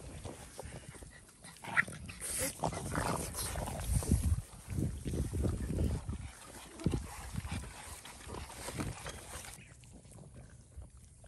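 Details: A Boston Terrier snorts and grunts in low, wet bursts while noisily chewing ice-cold watermelon chunks and rind to stay cool in hot South Texas.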